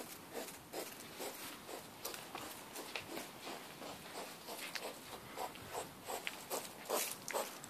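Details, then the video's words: Night-time hedgehog out walking with its partner at the back of a house, captured by mobile phone: rough, uneven huffing snorts in quick bursts, some louder and harsher, with a faint rustling background. "Grunting hedgehog and partner go for midnight walk"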